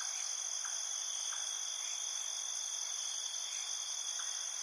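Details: Crickets in a night field: a dense, unbroken high-pitched shimmer of steady trilling, with faint short lower chirps popping up roughly every second.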